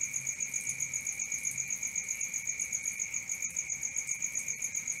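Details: Cricket song at night: rapid, steady, high-pitched pulsing trill holding constant, with occasional soft clicks and faint low hum underneath.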